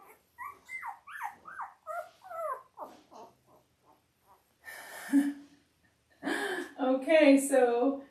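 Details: Five-day-old Labrador Retriever puppies from mother Belle's litter of eight, born October 15, 2023, on an indoor live puppy cam: a run of high, squeaky whines, several sliding downward, followed by a woman talking.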